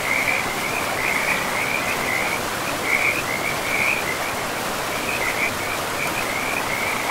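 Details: Frog calls near a forest river in a pristine, mossy woodland: short high trilled bursts repeated about every second without pause, set against the unbroken roar of the flowing stream.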